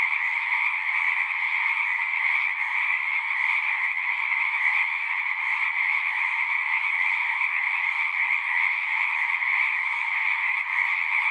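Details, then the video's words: Massed singing frogs fill the night-like natural soundscape with a continuous trilling roar, a strong high band over a weaker lower one, faint rhythmic pulsing within, and no other creatures or people audible. "One hour of singing frogs."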